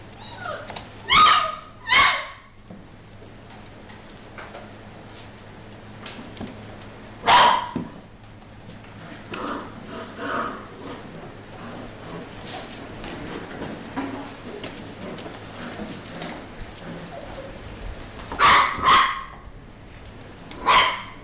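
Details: Playing Mini Goldendoodle puppies, six weeks old, offspring of Biscotti and Leo: loud, short bark-yips in pairs near the start, a single yip mid-way and a cluster near the end, separated by quieter scuffling and movement noises.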